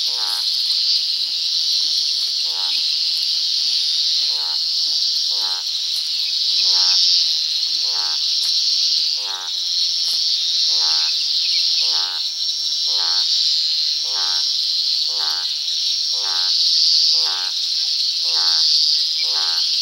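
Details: Toads croaking at dusk in the countryside: short, harsh, ribbed croaks repeated roughly every second throughout, set against a loud, steady, high insect chorus.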